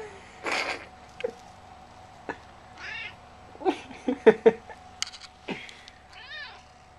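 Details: Talkative male house cat about 11 years old, usually a sleeper, giving several short arched meows spaced a few seconds apart, interleaved with a woman chatting to him.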